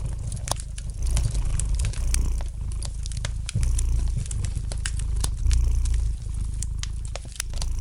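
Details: Cat's gentle purr, a deep vibrating hum rising and falling with each breath, overlaid by frequent light crackling and popping of a fireplace fire.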